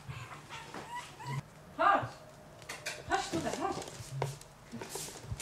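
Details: Yorkshire Terrier at a breeding kennel in Warsaw, Poland, giving short high whining whimpers with bending pitch, mixed with human voices talking nearby.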